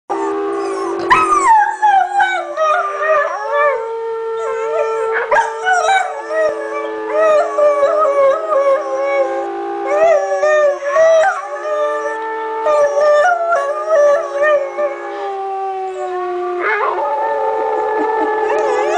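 A beagle howls in long, wavering, mournful notes that rise and fall through the whole stretch.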